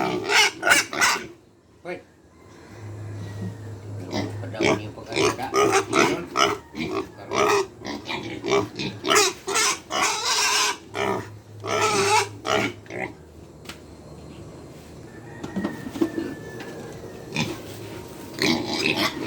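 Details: Farm pigs at feeding time, hungry: bursts of grunting and squealing in quick pulses, quieter stretches between, with a low steady hum in the background.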